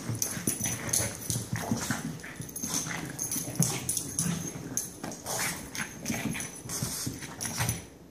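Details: A pair of pet dogs in another wild outburst: dense, rapid bark-like bursts and grumbling noise fill the whole stretch, with thumps, scrabbling and a steady high-pitched tone behind them.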